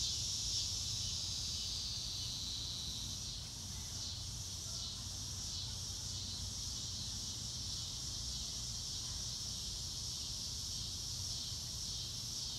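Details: Crickets in natural surroundings beneath a blue sky, real-time recording without music: a continuous high buzzing chorus with faint rhythmic pulsing, steady loudness and a soft low rumble underneath.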